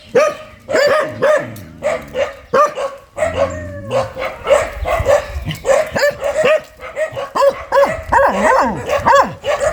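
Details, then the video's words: Fierce dog barking in rapid, irregular bursts of sharp, harmonic barks, with brief gaps and some lower growly noise in between. "เสียงหมาเห่า หมาดุมาก"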